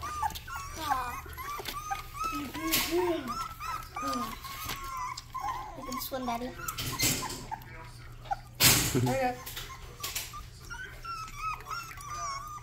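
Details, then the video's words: Rottweiler puppy trying out its first barks while attempting to drink water: quick high arched yips in rapid runs, broken by loud splashy clattering bursts. "first barks"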